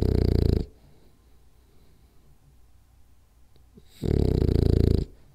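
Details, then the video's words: French Bulldog named Rolly asleep and snoring: a harsh, rattling low snore ends, a quiet gap of about three seconds follows, then another rasping snore of about a second. "French Bulldog Snores Hard For 10 Minutes"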